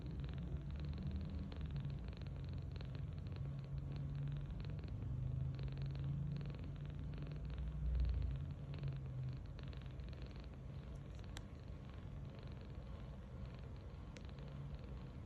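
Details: Snoring of a sleeping kitten named Tange, 39 days old, rescued on March 8, 2025, lying belly-up on a bed; a soft, deep, fast-pulsed rumble carries on without a break, with brief faint ticks late on.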